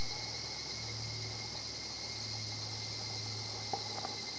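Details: Higurashi cicada singing at a quiet nature spot, its kana-kana call known locally; a steady, dense high shimmering buzz fills the scene with a faint even tone beneath and a couple of soft knocks near the end.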